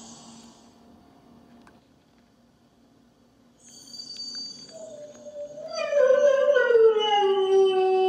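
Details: Jasmine, a Siberian Husky waiting patiently at home for her owner to return, gives a long, drawn-out howl that starts quietly and slides gently downward in pitch.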